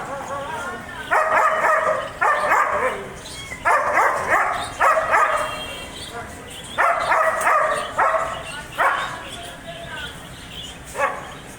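A German Shepherd barks in loud, harmonic bursts, some single and some in quick doubles, at uneven intervals.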